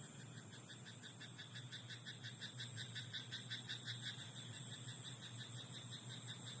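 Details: Frog croaking in a rice paddy at night: a fast, steady train of rattling pulses, roughly three per second, running throughout over a constant high-pitched whine and a low background hum.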